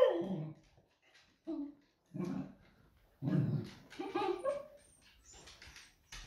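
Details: Smudge, a female pet Beagle, waits for her owner to come home; short broken whines and grunting vocal bursts in separate pulses, some muffled, with brief pauses between.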